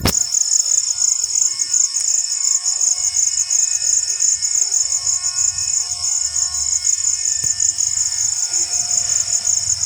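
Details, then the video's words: After rain, crickets keep up a continuous high, pulsing trill, evenly repeated, while faint thin tonal lines and soft low background noise run underneath. "crickets making sound after rainfall"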